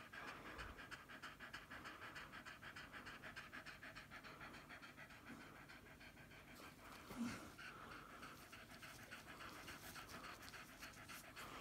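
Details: A female Staffordshire Bull Terrier in labour, giving birth to the first of her five puppies, pants rapidly and steadily, several breaths each second.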